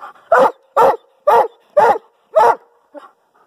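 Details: On the command "speak", a Doberman Pinscher gives five loud, deep barks about half a second apart, then a softer short yelp. The barks were measured at 128.7 decibels from about 24 inches away.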